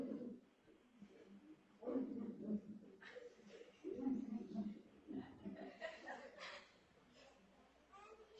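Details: Walrus (Odobenus rosmarus), vocalizations.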